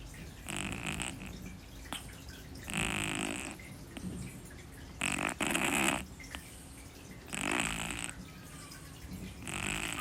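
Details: Deep-asleep kitten Shi-chan, with another cat Pu-chan sleeping quietly beside her, snoring in a steady rhythm: hoarse, wheezing snores with a hissy upper tone, about one every two seconds.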